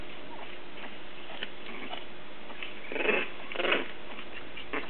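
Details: Three-week-old English Bulldog puppies playing in a litter give soft squeaky whimpers and grunts, with two louder squeals near the end.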